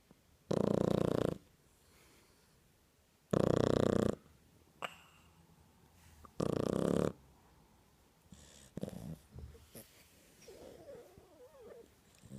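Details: Java, a two-month-old Shar Pei puppy, snores mid-nap indoors: three loud, broad, rasping snore bursts about every three seconds, each lasting under a second, followed by softer breathy snuffles and faint murmurs.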